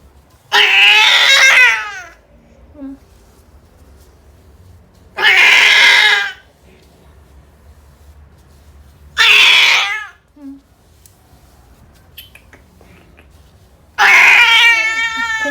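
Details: Persian Angora cat, indoors in a birthing box while giving birth to kittens: four loud, drawn-out, strained meows of about a second and a half each, spaced roughly four seconds apart, with quiet room between them.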